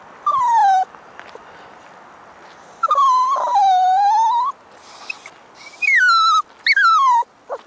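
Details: Female Toy Poodle puppy about six months old, singing on her walk: long drawn-out whines that dip and rise again, then two sharper falling cries after a pause.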